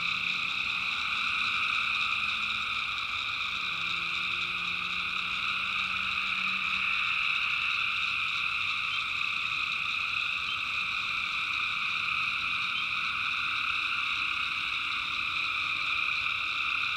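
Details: Nighttime tree frog chorus from the North Carolina backwoods, personally recorded: many callers merge into a continuous shrill, layered trill that never breaks, with a faint low hum from far off.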